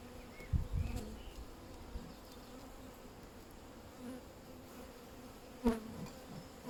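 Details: Honey bees hum in a low, steady drone during a hive inspection on 31 May 2025, with a few knocks and clunks and brief speech in the background; the colony has queen cells.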